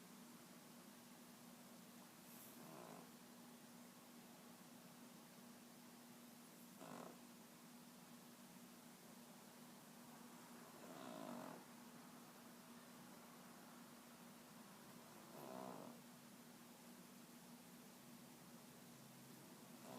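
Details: Vader, a pet Boston Terrier, asleep in his bed indoors and snoring very loudly; soft breathy snores recur about every four seconds over a steady low electrical hum.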